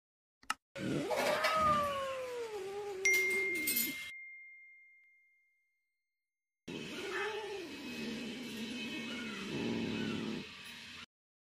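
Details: Angry cat giving a drawn-out, wavering yowl that glides up and down in pitch, then after a short silence a long, harsh, breathy hissing stretch with rough growly undertones.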